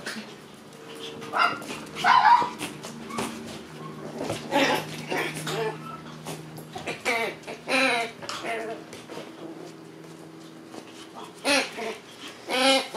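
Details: Shiba Inu puppy brothers born on 13 June play-fighting: scattered short yelps and harmonic growling barks in bursts, louder around eight seconds and near the end, over a steady low hum.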